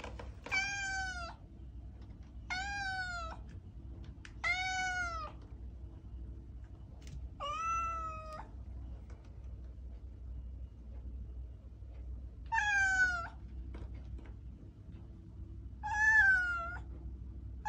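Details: Domestic cat giving a series of six plaintive meows, three in quick succession, then spaced out with gaps, each bending downward at the end; faint low hum beneath.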